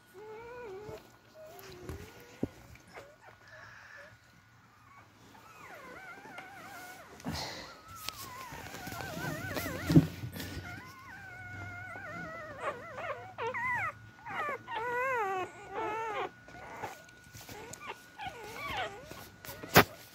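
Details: Beagle puppies crawling around in search of their mother to feed, some struggling to reach the milk; thin wavering whines and squeals rise and fall repeatedly, growing busier in the second half, with occasional soft thumps and rustling.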